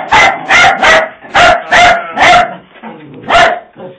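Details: Puppies startled by a Halloween prop give rapid, bright barks, seven loud yaps in four seconds with a brief pause near the end and faint whimpering between them.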